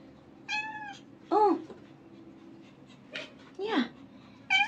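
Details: Newborn kitten, a few days old, one of five born to a semi-homeless mother cat in July 2022, crying for help after she moved it into a garbage bin: thin, high, wavering meows in short bursts, with a low human voice talking between them.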